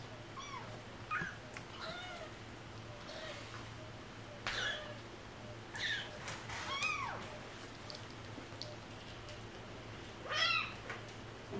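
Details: Stray cat family with kittens: many short, overlapping meows of varied pitch scattered across the stretch, some high and thin like kittens, others lower, over a constant low hum.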